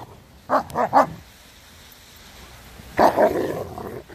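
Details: Renaissance Bulldogge pack, adults disciplining Rekkr, a 10-month-old pup who played too rough, during off-leash life: a quick run of three sharp barks, then after a pause two more clustered barks trailing off.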